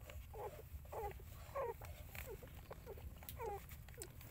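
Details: Dog, a mother caring for her puppies; short whiny squeaks and whimpers that rise and fall, about eight in four seconds, over a steady low rumble.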